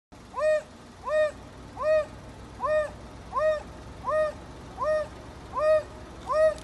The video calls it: The call of the AFRICAN WILD DOG